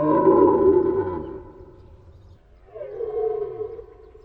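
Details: Deer roaring: a loud, deep, harmonic bellow lasting over a second, then a second, quieter drawn-out roar that starts with a falling sweep and ends hoarse and level.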